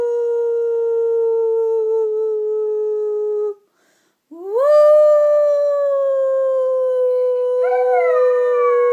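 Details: Howling dog: a long, level, slowly falling tone, a brief pause, then a new howl that swoops upward and holds a steady pitch, wavering slightly near the end.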